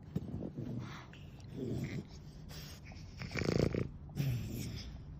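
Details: Nana, a clingy, affection-seeking pet dog, snoring in a recording sped up tenfold: rough, raspy breathing bursts with low grunting snorts, one longer swell near the middle the loudest, then a final sharp snort.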